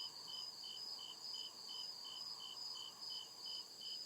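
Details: In the deep woods after dark, crickets give evenly timed high chirps, about two or three every second, over a continuous piercing trill from other insects.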